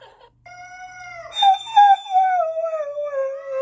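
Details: Spencer, an Irish Setter, howls in reaction to a cat yelling on a screen: a steady harmonic tone that jumps higher after about a second, then slides slowly down over several seconds.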